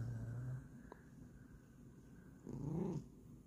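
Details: A Bengal cat in a morning exchange with its owner gives a low rumble, then a short, low meow that rises and falls.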